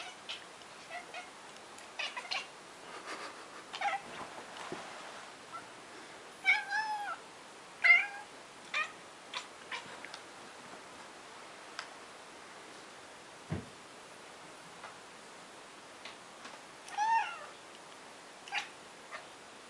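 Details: Ginger cat making weird noises on seeing a fly: quiet scattered chirps and short wavering meows, a few louder trilling bursts around the middle and near the end, over a soft room hiss.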